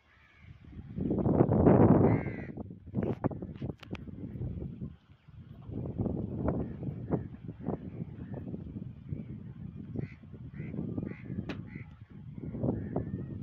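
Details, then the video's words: Two angry camels fighting in a desert area: a loud, deep, rough gurgling roar early on, then a string of low, harsh grunting pulses at irregular intervals, with faint higher calls near the end. "Two Angry Camel In Fight mood Desert Area || Camel Fight 2023"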